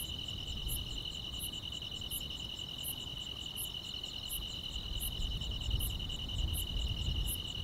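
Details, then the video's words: Grass insects calling through a summer night, a smooth sustained high trill with crisp repeated chirps about every 0.7 seconds, while a low rumbling noise grows stronger toward the end. "여름밤의 포근한 풀벌레 소리"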